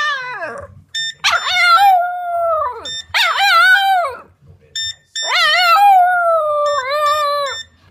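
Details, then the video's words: A Boston Terrier howling along with a phone, as she loves to howl with anything that makes noise, gives long, wavering howls that rise sharply, then slide down and hold. "Nala the Boston Terrier howling with the phone"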